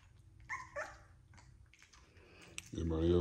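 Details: XL American Bully puppies from a litter of ten being bottle fed indoors; two short, high whimpers in the first second, then quiet shuffling before a man's voice cuts in at the end.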